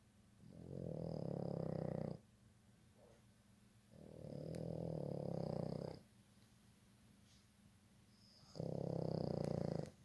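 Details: A sleeping dog snoring indoors: three long, rough, low rasping breaths, each about two seconds, separated by quiet pauses of roughly two seconds, with a faint higher hiss over each breath.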